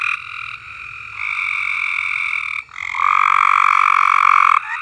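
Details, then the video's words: Frogs singing on a farm: long sustained trills, one quieter voice at first, then a louder, fuller chorus swelling in after a short break, with a lower trill rising to dominate the second half. "Frogs Singing"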